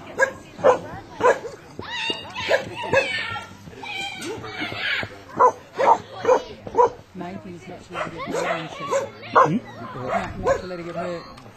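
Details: Koolie named Eva meeting moving sheep at a Brad Pellow herding workshop, herding instinct kicking in: rapid, uneven bursts of short barks and yips across the whole stretch, with human voices talking alongside.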